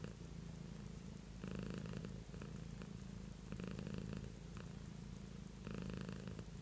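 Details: Pet cat named Beatrice purring indoors: a steady low rumble throughout, swelling in three louder bursts of roughly a second each, with brief faint higher overtones during the stronger phases.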